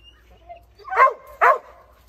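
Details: A dog barking at something in a tree, two sharp, loud barks about half a second apart against a quiet background.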